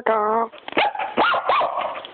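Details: A female puppy gives a long steady voiced tone, then several short rising-falling barks, with a person talking over parts of the clip.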